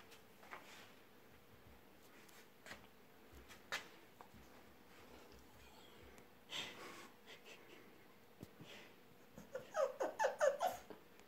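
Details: Valter, a Chow Chow puppy, indoors in a small room; quiet snuffling and breathing give way near the end to a quick run of five or six short, nasal whining yelps, with a few soft knocks and rustles.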